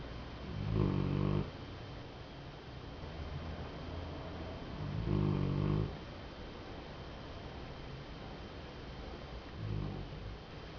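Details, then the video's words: A sleeping Golden Retriever snores in low, rumbling breaths that come every few seconds. "Golden Retriever dormindo, roncando."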